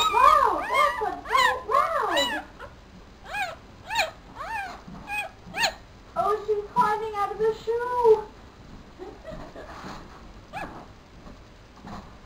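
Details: A male Papillon pup only four days old squeals in quick arched yelps during the first seconds, then gives longer, lower wavering whines mixed with a soft human voice before fading to faint sounds.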